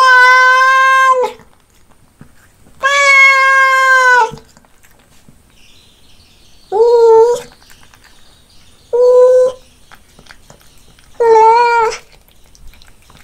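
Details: Meows from a cat at its fish meal: long, steady-pitched calls first, then shorter rising meows every two to three seconds, with little else audible.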